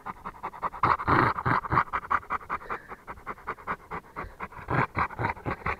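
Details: Rottweiler breathing hard in quick panting puffs, roughly four per second, uneven in strength, louder near the start of the clip.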